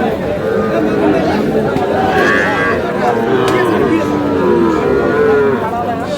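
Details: Five-month-old Sahiwal bull calves for sale at a Sherpur market in Bangladesh, 22 July: short low moos, a couple of brief bellows in the second half, half-buried under loud haggling and market crowd noise.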